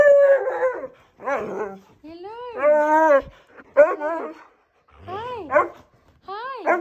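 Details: An 11-year-old Siberian Husky tells off his owners on their return home after being left, complaining in bursts of wavering, talkative howls that rise and fall.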